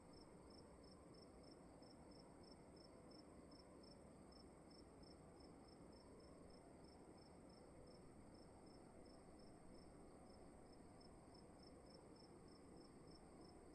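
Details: Indoor cricket at night in a dark room, chirping continuously with rapid, regular high pulses throughout, set against a quiet, constant background hum.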